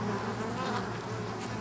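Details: Colony of honey bees in an oak tree in Tampa, Florida, producing male drones before swarming; continuous dense buzzing hum with a strong steady low tone and faint higher hiss, recorded close with a camcorder in macro mode.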